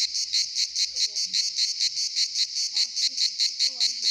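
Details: Cicadas singing at the Pitsunda resort in Abkhazia in summer: loud, grating buzz throbbing in regular pulses roughly two and a half per second, with a few faint bird chirps in the background.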